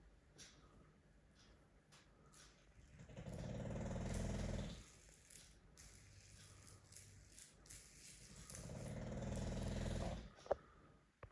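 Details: Loud snoring from an English Bulldog, two long rattling low inhalations about five seconds apart, quieter breathing between them, and a sharp click near the end.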